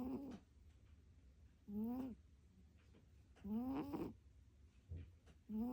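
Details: Domestic cat snoring while asleep, no background music: short tonal snores with a rising, harmonic-rich whine, repeating about every one and a half to two seconds, four snores in total, with a quiet low hum between them.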